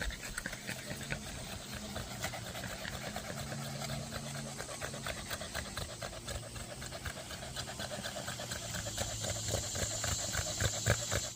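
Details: Dog panting after a burst of zoomies: rapid, even breathy pants, about four per second, continuing steadily throughout with a faint hum beneath.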